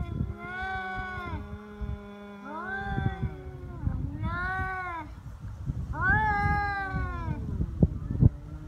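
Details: Feral cats fighting on Cat Day, February 22, in Japan, threatening a rival that will not back down: four drawn-out, wavering yowls that rise and fall, over a low rumbling background, with a few sharp clicks near the end.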